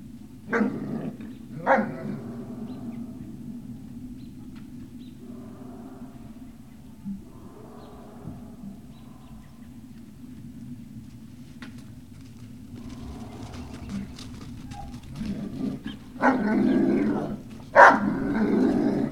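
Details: Great Dane puppies on a November 18, 2018 livestream: a couple of short yelps near the start, long quiet stretch with faint murmuring, then a louder burst of overlapping whines and yelps toward the end.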